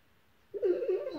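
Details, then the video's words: Gonzo, a pet dog, howls softly in his sleep during a dream: a short wavering tonal cry that starts abruptly and holds a steady mid pitch with faint overtones for about half a second, in a quiet room. "Dog Howls While He Sleeps"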